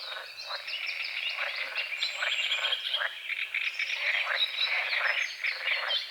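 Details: Frogs croaking at dawn over a small forest-edge lake in morning fog, a dense overlapping chorus of short rasping croaks, several per second, with birdsong threaded through the high register.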